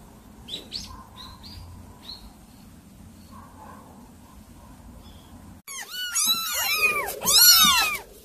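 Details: Several unruly kittens break into a chorus of overlapping high, arched meows in the final seconds, rising and falling quickly, after a quiet stretch with faint thin chirps and low background rumble.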